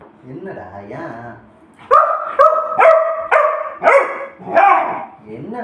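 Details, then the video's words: Pet Labrador demanding food while its owner speaks Tamil. After her voice comes a steady series of six loud, clipped barks, roughly one every half second. "சாப்பாடு வெனும்மா எப்படி கேகுது பாருங்க.."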